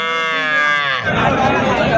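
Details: Local deshi cow with a four-day-old calf at the weekly Wednesday Mirshanni cattle market beside rice fields during Ramadan. A one-second harmonic, bleating call falls slightly in pitch, then market chatter and bargaining voices take over.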